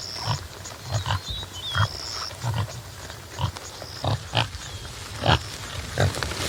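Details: Topi antelope (Damaliscus lunatus jimela) grunting: low, throaty pulses at uneven intervals, some with a sharper click-like edge. Occasional high bird whistles are heard early, and a hissy outdoor background builds toward the end.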